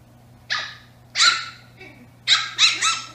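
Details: Brussels Griffon puppies, eight-week-old twin sisters, playing indoors with a black Labrador present: high, sharp yappy barks in bursts, one single bark then a quick double and a rapid pair near the end, with a steady low hum beneath.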